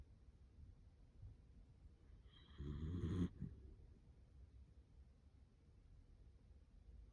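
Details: Dachshund asleep, its snuffling nose breaths turning into human-like snoring: one low, rough, rattling snore of about a second rises out of near silence and fades, with quiet background hiss before and after.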